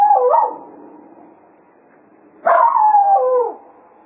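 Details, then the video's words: At the close of a foxhunting day at Quail Roost, a Jack Russell Terrier serenades the departing hounds: the tail of one wavering howl fades out, then a second strong howl begins sharply and slides downward for about a second. "Serenading the Hounds after a Day of Hunting"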